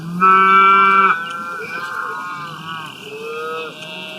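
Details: Cows grazing out in the open, eating grass: one loud, steady, tonal moo lasting about a second, followed by softer, wavering lowing from other cattle in the background.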